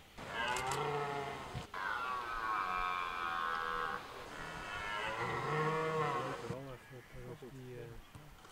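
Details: Red deer during the 2023 rut in park de Hoge Veluwe, where rangers feed the animals apples: three long, drawn-out groaning bellows in succession, rich in harmonics, followed by shorter broken grunting calls fading at the end.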